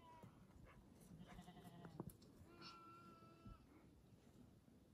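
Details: Baby goats (kids) fighting over a feeder bottle; a wavering, nasal bleat for under a second, then a longer, steadier bleat lasting about a second, with faint rustling and handling noise around them.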